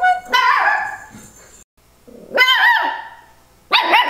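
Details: Complaining Miniature Schnauzer puppy named Nori, six weeks to six months old, gives drawn-out, wavering whiny yowls in three bursts, the middle one bending up and down in pitch, with a brief faint background hum between.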